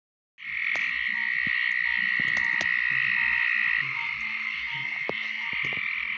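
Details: Green tree frogs, Georgia's state amphibian, calling during mating: a dense, continuous chorus of buzzy, ringing notes that starts abruptly and holds steady, with faint low knocking sounds underneath.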